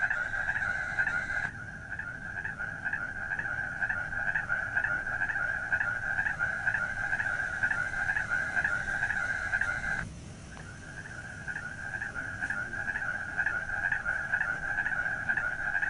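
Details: Night-time frog chorus: continuous rapid rattling croaks at a steady mid-high pitch, with brief edit breaks and a constant low background hiss.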